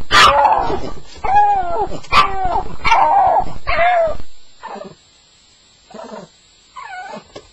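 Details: A Staffie's nightmare cries on its first night: a close series of yelping whimpers, each sliding down in pitch, roughly one per second, then trailing off into quieter, scattered whines.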